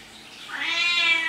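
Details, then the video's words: Domestic cat, a rising meow that starts softly and grows louder, holding a steady harmonic tone to the end, with low room hiss. "Talking Cat Говорящий Кот"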